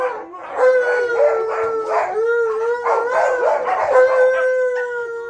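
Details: Alaskan Malamute howling together with a husky during an excited indoor reunion with a friend; one long, steady, sustained howl holding a level pitch for about five seconds, with a second voice wavering alongside it.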